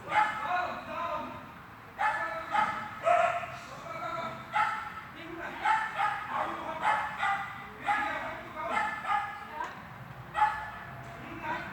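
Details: Repeated loud barks from a Swiss dog training heelwork in a hall on 13 August 2021, coming in quick runs about one per second with brief pauses, ringing in the reverberant room amid low background voices.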